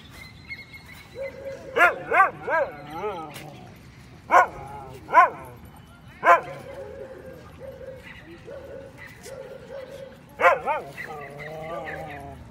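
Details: A Siberian Husky at a dog park "lectures" another dog with a string of wavering, yodel-like howls and yips, with a person speaking.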